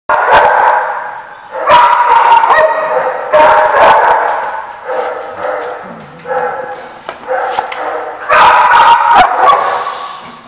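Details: Dogs barking at a site called the Barking Lot on 28 March 2015: loud harmonic barks in bursts roughly every one to two seconds, some doubled, with quieter yips and a low grumble in the gaps.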